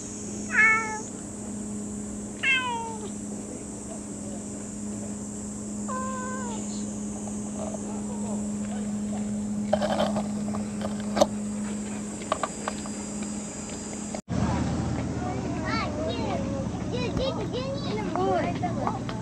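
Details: Cat meowing repeatedly, three bright, falling meows spaced a few seconds apart, over a low steady hum, followed by busier rustling and faint voices after a sudden cut.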